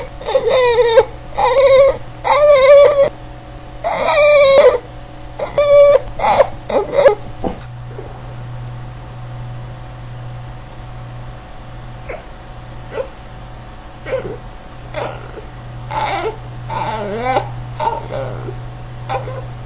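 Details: Male Boston Terrier named Reginald voicing his trademark noises: a run of loud, quavering whimpers and yelps over the first seven seconds, then softer, scattered whines and grumbles against a steady low indoor hum.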